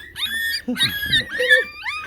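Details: Chow Chow puppies, 15 days old and squirming as they are handled, let out thin, high whines that bend upward. A person's voice briefly overlaps the middle of the cries.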